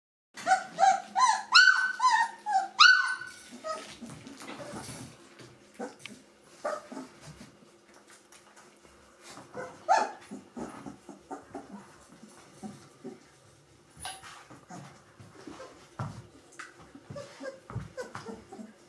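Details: Gordon Setter puppies, three weeks old, from the E litter, indoors: a burst of high, wavering squeals and whimpers at the start, then scattered softer yelps and squeaks from several pups in a small room.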